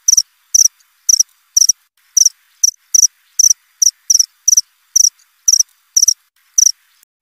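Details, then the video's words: Cricket chirping nonstop, a crisp high-pitched pulsed chirp repeated roughly twice per second in short even bursts, slightly irregular spacing, with silence between and no other sounds. "Suara jangkrik krik.. krik.."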